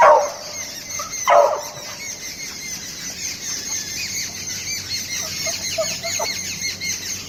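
A beagle puppy lets out two loud, high, squealing whines about a second apart, followed by fainter whimpers and squeaks. The noises are its bid for a cat's attention, over a steady high hiss in the background.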